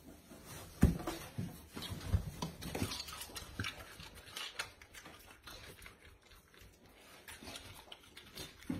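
Wet smacking, clicking and chewing noises from a harp seal pup eating fish, close up in a quiet room.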